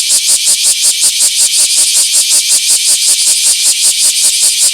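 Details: Bear cicada filmed in a small park on 24 July 2026: a loud, harsh, high buzzing song chopped into rapid, even pulses, steady throughout with no other clear sounds.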